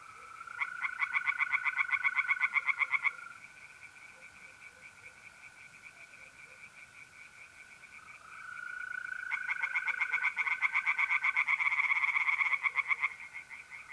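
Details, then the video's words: Tree frogs in a north-east Italian pond on an April night give two loud bursts of fast rasping pulses separated by a quiet stretch where only the steady trill of mole crickets continues. "relaxing singing tree frogs in pond and trilling mole crickets by night"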